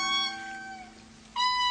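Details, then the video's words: In the early morning in Madagascar, an indri gives its territorial call: long, wailing tonal notes sliding slowly downward, then a new high steady note begins. "Hear that? That's the evocative early morning territorial call of the Indri."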